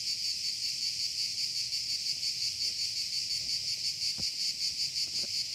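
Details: High, rasping cicada drone with a rhythmic throb about three times a second, unbroken across the clip; a couple of faint knocks are heard near the end.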